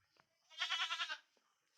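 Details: Nighttime check on goats kept behind the house: one goat gives a pulsing, tremulous bleat of about half a second, framed by faint taps and rustles.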